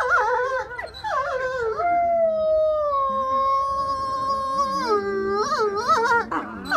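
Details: Howling by young grey wolves kept at the Wolf Conservation Trust, UK: wavering, bending howls at the start and end frame a long, level, sustained note, with several voices overlapping and brief yelping inflections.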